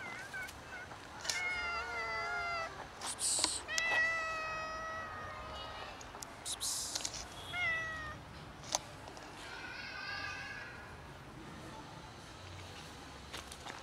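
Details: Two hungry domestic cats meowing: a run of drawn-out, harmonic meows, some rising then falling, others short, coming in quick irregular succession with brief pauses and faint clicks and rustles between calls.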